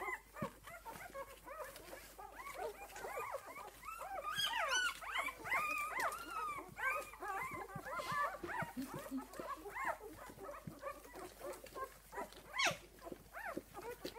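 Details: Esmée's six-day-old puppies whimper together: a thick tangle of short, arched squeals overlapping without pause, swelling louder in the middle stretch before thinning slightly toward the end.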